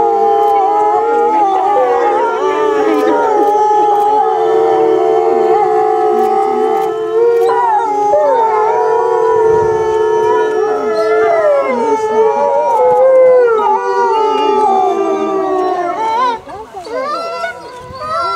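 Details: Timber wolves at Asahiyama Zoo howl together at 16:30 on 29 May 2014 during the park announcement, long, sustained, wavering tones rising and falling over one another; gray wolf.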